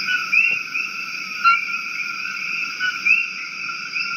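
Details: Invasive coqui frogs in Maui calling over steady high insect-like trilling bands; sharp two-note chirps rise repeatedly, roughly once per second and a half, with a brief tap near the start.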